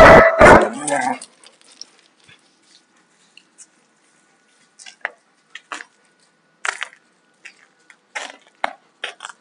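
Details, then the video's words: Rough play between two Alaskan Malamutes, a young male of two and a female of four and a half, fully shed and not in heat. A loud snarling bark opens, followed by scattered clicks and light scuffling taps. "Malamute fight-play"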